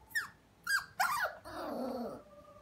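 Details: Havanese, a small toy-breed dog, lets out three quick high yelps that slide downward, followed by a longer, strained, wavering whine that fades out.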